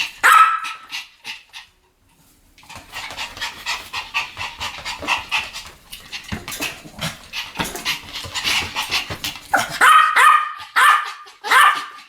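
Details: Pomeranians in a barking duet, opening with a few high yaps, then a stretch of softer panting and scuffling sounds before sharp barks return in the final seconds.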